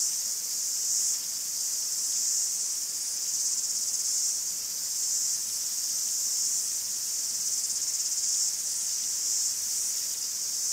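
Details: Greek forest cicadas in full chorus, an unbroken shrill hiss-like drone with gentle rises and dips in loudness throughout, nothing else audible beneath it.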